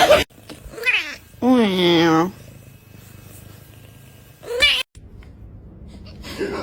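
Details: Domestic cat in a funny cats compilation: a short rising cry, then a drawn-out, low, wavering meow with rich harmonics lasting nearly a second, followed by a brief sharp squeal; quiet room noise and nearby human speech.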